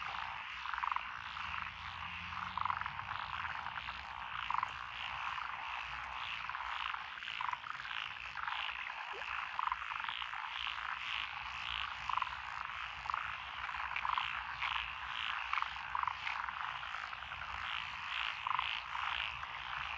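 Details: Dense mixed calling of tree frogs, pond frogs, wrinkled frogs and green tree frogs in lotus paddy fields in Echizen, Fukui Prefecture, Japan, June 2021. Pulsing rasping croaks overlap continuously, with clearer low clucks every second or so.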